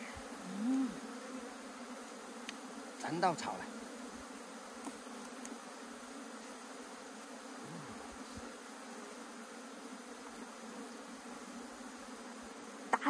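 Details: Buzzing honey bees during a collapsed bee-collecting attempt in the hills of Puning, Guangdong. A low, even drone carries throughout, broken by a few brief handling knocks and a short burst of human voice.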